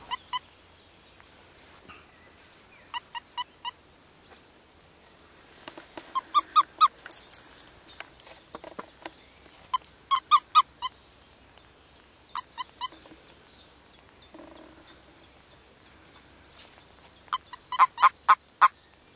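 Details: Frogs calling during mating season at Kassinurme on April 25, 2011; short bursts of rapid, clicking pulses with a faint tonal ring, grouped in trains of three to six, spread irregularly over a quiet background.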